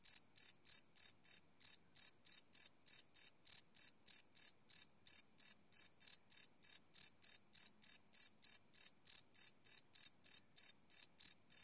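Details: Live night recording of crickets made with a Sony PCM D100: sharp, high chirps in a quick, even pulse, roughly three per second, with a couple of tiny gaps, over a silent background.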